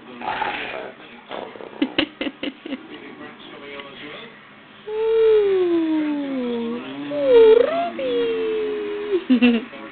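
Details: Two pet dogs, Lenny and Ruby, play fighting indoors and sounding odd; long, wavering, moaning howl-like growls sliding up and down in pitch dominate the second half, after scattered short yips and thumps.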